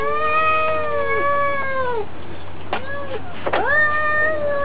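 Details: Two domestic cats squaring off in a fight, trading drawn-out yowls with strong harmonics that sag in pitch, then sharper rising wails near the end, over a steady low hum.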